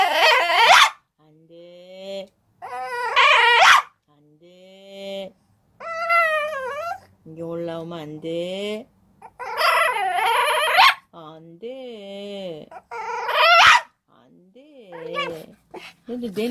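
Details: Pet Shih Tzu at a broadcast rehearsal: a long run of wavering, sing-song howling cries broken by several harsh bark bursts at irregular gaps, with human voices mixed in.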